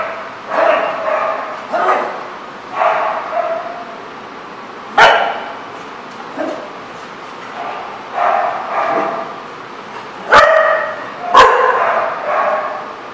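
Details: Dog barking outdoors at a lot, recorded 21 March 2014: a steady series of hoarse, mid-pitched barks roughly every one to one and a half seconds, about ten in all, with a few sharp clicks or knocks between.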